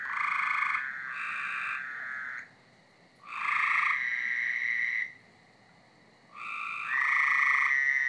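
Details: A backyard frog chorus on a Friday night gives loud, buzzy, nasal calls rising in bursts of about two seconds, with brief pauses between.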